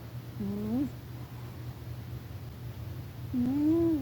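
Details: Sleeping house cat named Rufus snoring in a quiet room; two nasal, whistle-like breaths a few seconds apart, each rising gently in pitch and lasting under a second, with a constant low background hum.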